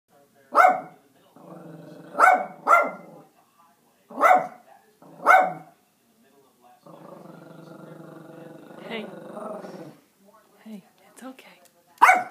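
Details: Small Yorkshire Terrier facing off with a squirrel over bird food, giving sharp single and paired barks, about six in all, separated by stretches of lower buzzy rumbling.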